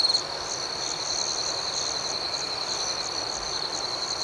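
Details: Crickets chirping at night: a steady, high ringing trill held throughout, with a softer, higher pulsed chirp repeating about twice a second above it and a faint hiss of background noise.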